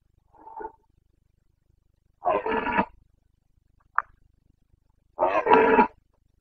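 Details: Carpathian stag of Bucovina in the breeding season of 2022, giving short guttural roars: a faint grunt, then two loud raspy roars about three seconds apart, with a brief click between.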